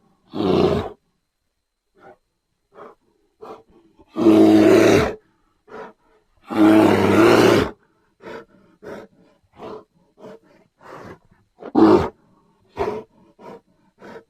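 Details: Grizzly bear roaring in loud, harsh, broadband bursts near 1, 4.5, 7 and 12 seconds, the longest lasting about a second, with many short, softer grunts and huffs scattered between them.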